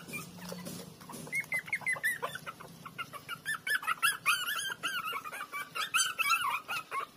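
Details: Little street puppies, about a week after they began walking, playing by sucking and biting each other; a run of short, high whimpering squeals repeated several times a second, rising and falling, with soft rustling underneath.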